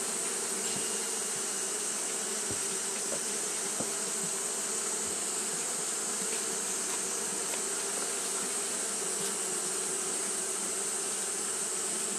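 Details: On a hot day, Japanese honey bees keep fanning without pause, producing an even, droning buzz that holds for twelve seconds. A bright high hiss runs alongside, with occasional soft clicks.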